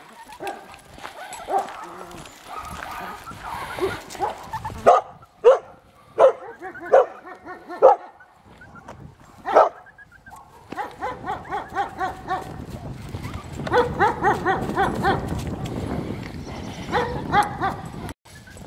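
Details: Bella, a Golden Retriever awaiting adoption, gives a run of about six short, sharp barks spaced roughly every second, followed by a busier, noisier stretch with softer vocal sounds.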